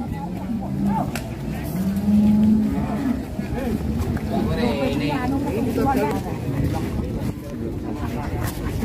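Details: A rampaging, loose fat cow gives a deep, drawn-out low moo of about a second near the start, then fainter lowing, amid steady human chatter and a rumbling engine-like background.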